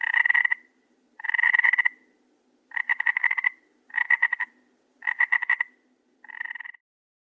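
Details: A croaking frog at night: six rasping, rapidly pulsed calls, the later ones shorter and choppier, with the final croak quieter, spaced about a second apart.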